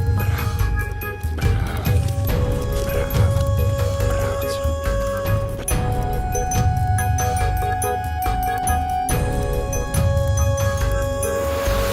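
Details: Background instrumental music with steady tones and some speech runs throughout, with no clear animal sound.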